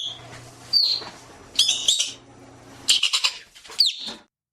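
Arctic ground squirrel giving four bursts of shrill, chattering chirps with quick downward slurs, roughly a second apart, over a faint low hum.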